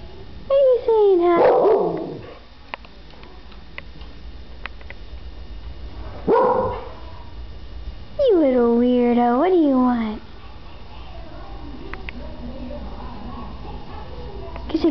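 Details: Pet Keeshond indoors, coaxed by its owner to say hello and goodbye, answers with drawn-out, wavering howl-like moans, one rising and falling several times, between short bursts of sound, with the owner's voice in between.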